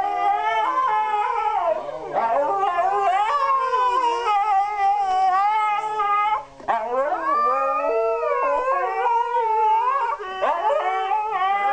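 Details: Two Siberian Huskies in their daily howling duet, a routine they enjoy: overlapping long, wavering howls that slide up and down, sustained with brief breaks, voices interweaving at different pitches.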